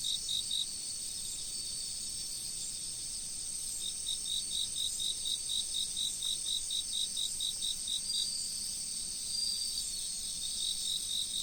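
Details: Autumn insects calling beside a flowing river: a dense, steady high-pitched shimmering trill overlaid by a crisp, rapidly pulsed chirping series of about four chirps per second, with a soft rushing of water underneath.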